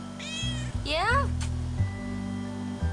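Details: A grey outdoor domestic cat in a front yard gives two quick meows, the second bending down in pitch, over a low hum, with raking heard in the background.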